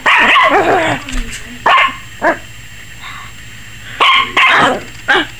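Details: Barking from a 21-week-old Yorkie puppy named Maggie, apparently frightened of the camera: a rough, wavering bark run opens, then single sharp yaps spaced irregularly, with quiet pauses between.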